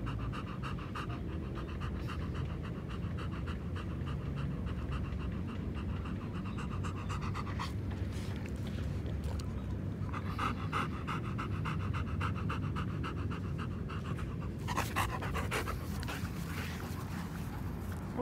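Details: Nana, a three-legged German Shepherd, running on a good day, breathes in rapid rhythmic pants that come in stretches broken by short pauses, under constant low-pitched wind and handling noise.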